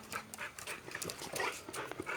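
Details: Boxer dog meeting a stranger, panting in quick breathy bursts about four to five per second, steady and unbroken throughout.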